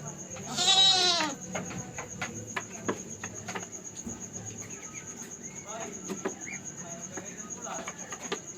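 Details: Domestic goat in her pen at night as the kid's head emerges during a first birth: one short, strained bleat at the start, then handling clicks and rustling under a constant high-pitched insect drone.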